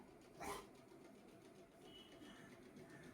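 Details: An angry Rottweiler named Lucky gives one short, sharp, loud bark early on, then falls silent. Quiet indoor background and a faint high whistle-like tone follow.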